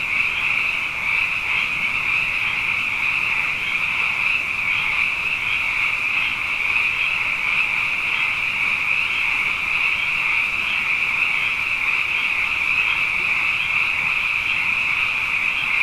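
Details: A nighttime frog chorus after two wet years in a row: many callers produce a constant high, buzzing trill, evenly loud throughout, with faint rhythmic flickers within the dense wall of sound.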